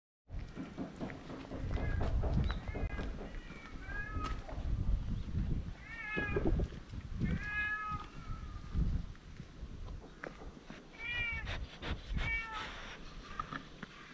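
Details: Stray cats on a Japanese cat island suddenly starting a fierce quarrel, filmed with a GoPro: repeated short wavering yowls in bursts amid rumbling wind-like noise and handling sounds outdoors.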